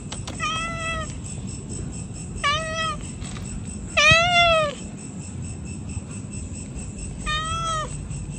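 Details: Pregnant cats meowing loudly, four drawn-out harmonic meows at roughly two-second gaps, the third longest and loudest with a falling tail, over a steady low rumble of background noise.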